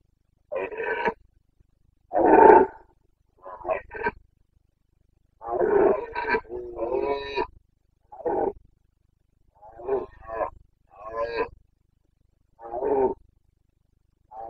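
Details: Red deer stag of the Carpathians in rut, Bucovina, 29 September 2022: a long run of about ten gruff roars and grunts, irregularly spaced, some throaty and rasping, others short barks, in otherwise quiet surroundings.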